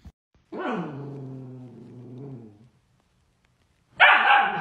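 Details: A dog produces a rough, low, buzzy growl-like vocalization lasting about two seconds, then after a pause lets out one loud, sharp bark.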